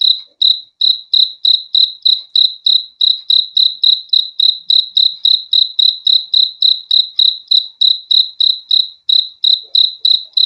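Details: Cricket chirping offered as a calming sleep sound, a continuous run of bright, high, clipped pulses at an even pace of about three per second, without other noises.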